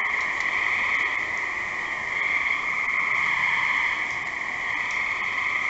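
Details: Continuous chorus of gray tree frog trills, many callers overlapping into a steady high buzz with slight rises and falls in volume throughout.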